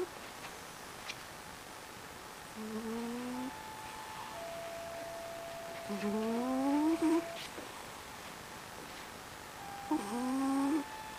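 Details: Pet female Maine Coon cat, a loud snorer, asleep indoors: three squeaky, whistled rising snore notes about one second long, spaced three to four seconds apart, over a steady faint hum.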